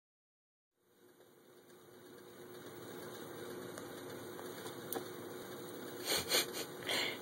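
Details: Steady electronic hiss rises after a second of silence, joined by faint taps and a few brief bursts near the end; no animal call.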